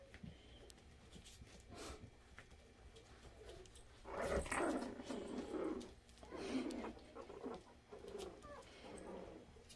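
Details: Havanese puppies, including one called Murphy, play indoors while one tunnels under another; rough, noisy growl-like bursts come in a cluster between the fourth and seventh seconds, with softer scuffling and a voice before and after.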